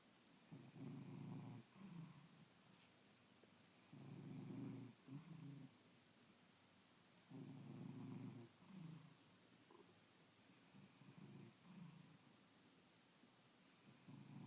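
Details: A domestic cat asleep on a Saturday morning snores softly: low rumbling breaths in paired inhale-exhale bursts, each pair roughly every three and a half seconds, with faint hiss in quiet room background.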